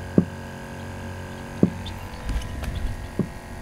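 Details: A red drum (redfish) just caught on rod and line in Louisiana, likely female, grunts with low, hollow knocking thumps spaced about a second and a half apart.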